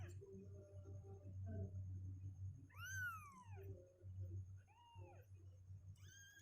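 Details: Kittens two weeks of age, healthy and growing stronger legs, restless in their box: two clear arched meows a couple of seconds apart over a steady low hum, with a faint third cry at the very end.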